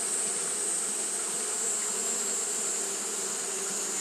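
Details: Japanese honey bees fanning continuously on a hot day: a steady, low droning hum with layered harmonics, unbroken throughout, under a constant thin high-pitched whine.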